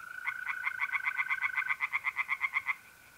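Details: Close tree frog at a pond at night in mid-April, north-east Italy, giving a quick series of about twenty evenly spaced rasping pulses, over a smooth continuous mole cricket trill.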